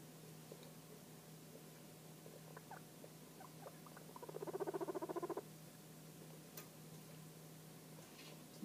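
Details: Young pet guinea pigs about three or four weeks old, indoors; a few soft squeaks, then a rapid pulsed purring chutter of about one second, followed by quiet room hum.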